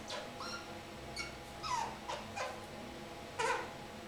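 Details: Three-month-old kakariki sitting in a shower making funny noises: soft squeaky whines and short chirps, scattered with pauses over a steady low hum.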